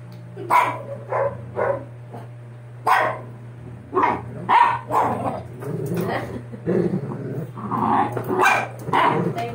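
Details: Sixty-day-old Doberman pups after ear cropping; repeated short whining yelps and whimpers in uneven bursts, over a steady low electrical hum.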